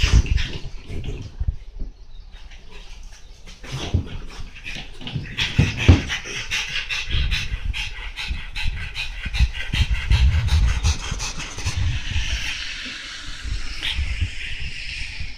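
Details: French Bulldog Monaka thrashing about on a chair, a brief snuffle then rapid, heavy panting of about three breaths per second, loose in rhythm, with low bumps of movement beneath.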